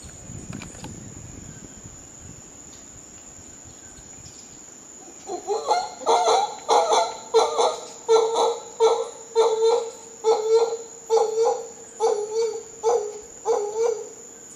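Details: Howler monkeys in Costa Rica: after five quiet seconds, a run of hoarse, pulsed grunting calls starts, repeated about one and a half times per second. A steady, high insect whine runs throughout.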